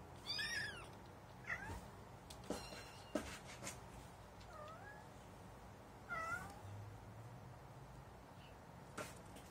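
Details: Kitten at its first encounter with cat litter, mewing repeatedly: thin, high, wavering meows, some rising then falling, a few seconds apart, among soft scratching and rustling of litter.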